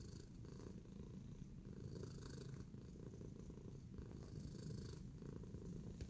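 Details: Steady, low purring from Tacy the cat while relaxed and kneading; the rumble stays constant with fast regular pulses, soft in volume, and a small click near the end.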